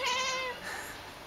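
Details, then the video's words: Domestic cat being called in French to come back inside; one clear, tonal meow that holds level and then falls slightly over half a second, followed by quieter background hiss. "le chat qui parle"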